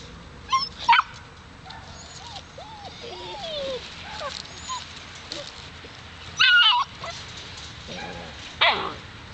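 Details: Alaskan Malamute puppies, seven weeks old, from a single litter: soft whimpers and short high yips scattered among quiet background, with louder sharp yelps standing out near the start, middle and end.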